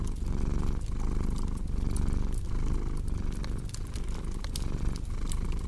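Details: Domestic cat purring beside a crackling fireplace: a deep, continuous rumble that swells and eases in a steady breathing rhythm roughly every 0.8 seconds, with sharp wood-fire crackles and pops scattered throughout.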